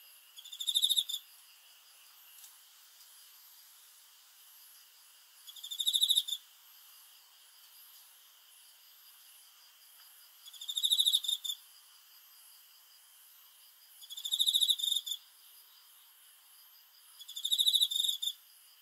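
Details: Cricket chirping at night: short bursts of rapid high pulses with bright overtones, each about half a second long, repeated roughly every four to five seconds over a quiet background.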